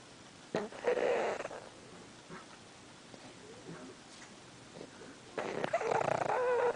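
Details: Sleeping pug twitching while it snores: two loud, rough, breathy snorts about five seconds apart, with a faint whistling tone inside each, and quiet breathing between them.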